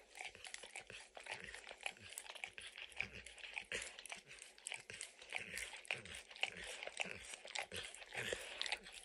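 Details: Pet dog licking and snacking on peanut butter and kibble stuck in an orange mat: a steady run of wet, smacking clicks and soft crunches, several each second, with no talking.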